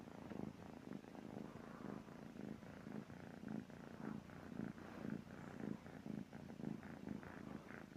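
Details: A sleeping cat snores in a steady rhythm of soft, low, breathy pulses, about one each second, with each rasping inhale and exhale repeating evenly in a quiet indoor setting.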